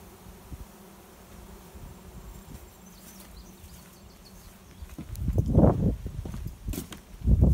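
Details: Honey bee swarm arriving at a swarm trap behind a garage, a cloud of bees flying overhead and settling in over about an hour; a faint, steady low hum runs throughout, then loud gusty thumps of wind and handling noise break in near the end.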